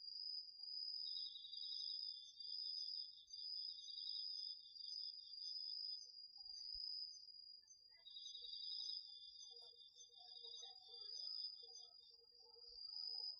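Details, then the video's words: Autumn night insects, crickets among them, chorus in a garden vegetable field, recorded on a DR-40X: a high steady ringing trill overlaid by bursts of slightly lower pulsed chirps, pausing and restarting, with faint softer calls beneath. "秋の虫の声 ASMRでおやすみなさい 〜虫の音を枕元で聞いてね〜 こおろぎ他"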